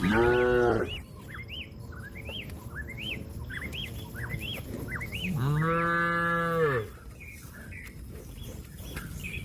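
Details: Cow in a grassy field calling to a companion that is eating grass: two long, steady, deep moos separated by about four seconds, with repeated arching bird chirps in between.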